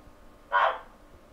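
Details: A captive male giant waxy monkey frog (Phyllomedusa bicolor) gives a single short, hoarse clucking note, calling to attract a female; recorded on a computer microphone.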